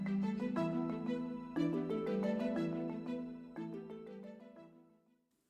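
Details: Soft plucked or struck melodic notes ring out and fade, with no animal sound present. The tones resemble a vibraphone or harp and die away toward the end.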